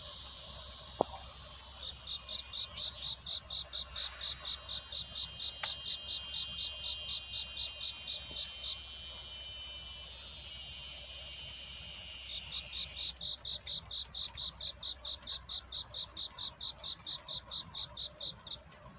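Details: Crickets singing on a courtship night, a song of seeking love rather than crying, set at dawn: rapid regular high chirping pulses, about two per second, with a steady thin high whine through the middle and a low hum beneath.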